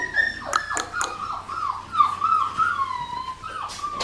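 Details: Blue merle female Australian Shepherd puppy from Magnolia's litter, AKC/ASCA-registered breeding in Oklahoma, giving a run of high, drawn-out whines that slide downward and waver, several overlapping in quick succession, with a steady low hum underneath.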